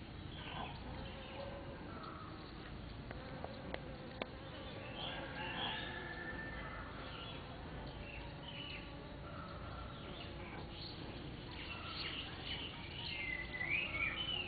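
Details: Bees foraging at Mimosa pudica flowers on 7 March 2014; a low continuous droning buzz with shifting pitch as bees move close and away, plus a few sharp clicks and a faint whistled sound near the end.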